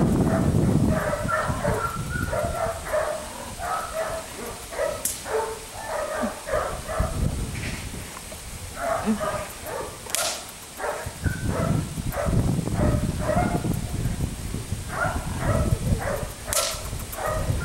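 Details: Four-month-old Belgian Malinois puppy Felix biting a rag, giving rapid irregular clusters of high yelping barks broken by brief pauses, over scuffling and rustling, with a few sharp clicks.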